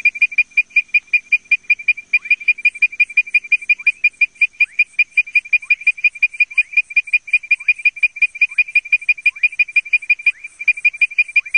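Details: Advertisement call of Leptodactylus mystacinus: a fast run of bright whistled notes, close to three per second, with faint downward-sliding notes in the background through most of the sequence.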